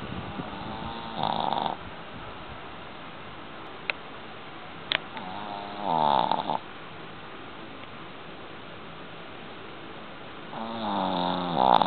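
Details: A sleeping Boston Terrier snores in rough, rattling bursts, each breath spaced several seconds apart.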